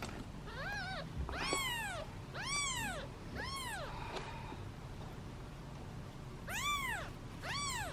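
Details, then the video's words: Hungry domestic kittens, seven in a basket, waiting impatiently at feeding time; clear arched meows, some high and harmonic-rich, come in bursts of one or two at a time, with a short click-like sound midway through. "Impatient Meows of Kittens and Hungry Hiccups!"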